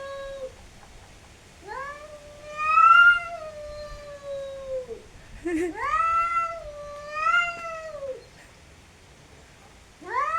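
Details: Cats fighting, giving long drawn-out harmonic yowls that rise, hold and fall, several in succession with brief quiet gaps between them.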